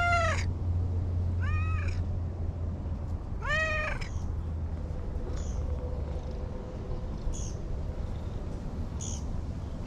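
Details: Stray cat Anko by a lush green lakeside in Japan, chattering nonstop with three loud, arched meows about two seconds apart, then softer, higher short mews, over a low rumbling background.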